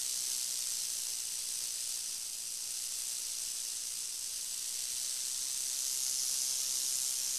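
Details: A northern Pacific rattlesnake (Crotalus oreganus) produces a continuous sharp, airy hiss, bright and high, sustained without breaks and swelling slightly toward the end.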